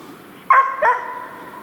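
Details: Hunting dogs barking at a sable that has jumped up, the second sable found in this direction during a sable hunt: two quick, ringing barks in close succession, the second trailing off into a fading tone.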